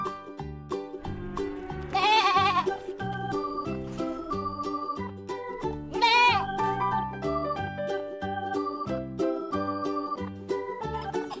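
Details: Two quavering bleats from a farm goat, about four seconds apart, the second rising sharply, heard over cheerful background music with a regular plucked rhythm.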